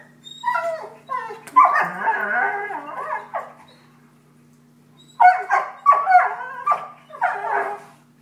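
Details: Two Airedale Terriers playing rough and baring fangs: harsh, whiny growls and yelping snarls in a long burst, then a second run of four short growling bursts after a pause, over a steady low hum.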